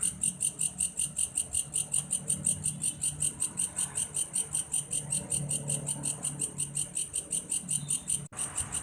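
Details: Belalang kayu grasshopper giving a continuous cricket-like call, high shrill pulses repeated nearly three times a second, with a low hum underneath and a brief click near the end.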